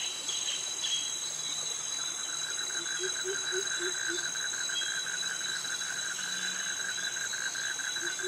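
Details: Cicadas singing among crickets in Thai jungle vegetation at Krabi: a continuous high-pitched buzz dominates, over a quick, rhythmic pulsed trill and a short series of low, rising chirps midway.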